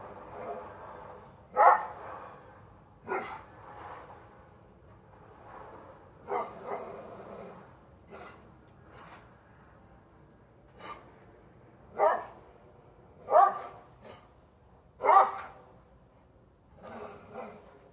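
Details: Dog on its hind legs barking at a squirrel in a plum tree: scattered, quieter single barks every few seconds, mixed with background talking.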